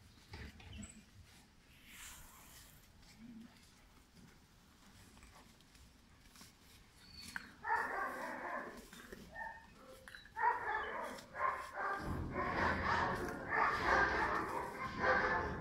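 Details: German Shepherd puppy named Pirat, five months old, described as high-drive and bred for sport or police work; quiet opening, then bursts of rough, harmonic barking from about halfway on, growing denser toward the end amid handling noise.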